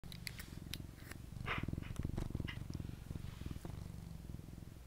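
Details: A domestic cat purring: a steady low rumble pulsing rapidly, with faint clicks and rustles overhead in a quiet indoor setting.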